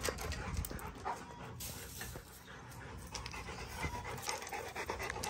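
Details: Rottweiler named June, a young ranch dog being trained around Highland cows on a ranch, panting in quick breathy bursts about two per second, with scattered rustling and a low rumble underneath.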